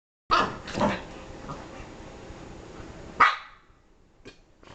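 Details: Dogs barking: two sharp barks close together at the start, then a loud single bark about three seconds later, with quieter faint sounds after.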